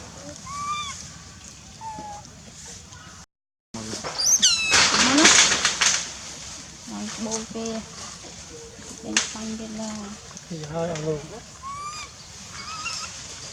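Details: Baby monkey Lizza, wild in the forest of the Angkor Park area, crying loudly to call its mother while hungry: high whistled, wavering cries with bright overtones, one loud sweeping cry in the middle, then lower harmonic calls and a brief silent gap.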